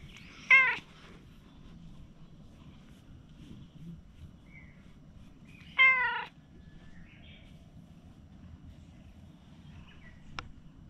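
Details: Stray cat meowing twice, about five seconds apart, each call a clear harmonic wail that rises then falls, with a faint click near the end over low steady hum.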